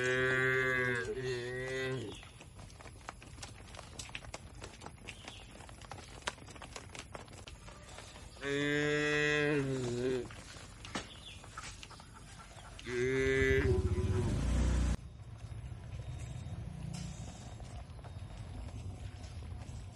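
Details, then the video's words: )Cattle inside a village shed, three moos spaced several seconds apart, each one to two seconds long and slightly falling at the end, with low rumbling handling noise near the close and faint background clatter. "Suara Sapi Moo"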